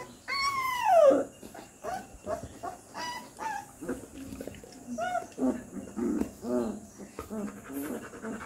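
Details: Three-week-old Rottweiler puppy giving a drawn-out, falling whine, then a string of short, high squeaks and yelps spaced irregularly through the rest of the recording.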